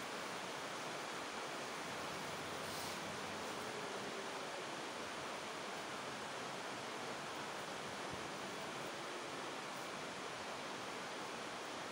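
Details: Steady broadband hiss like rushing water or wind fills the whole recording, with no animal voice.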